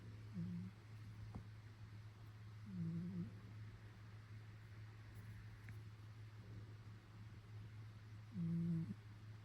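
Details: Cat snoring while sleeping indoors: three low, soft nasal snores spaced a few seconds apart over a steady low electrical hum.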